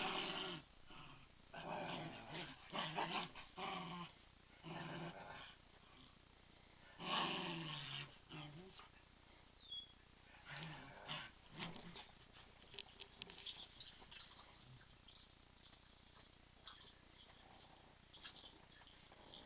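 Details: Dogs playing kill the duvet indoors, one growling fiercely while having fun; rough, noisy growls and snarls in irregular bursts, mixed with rustling and human speech in a small room.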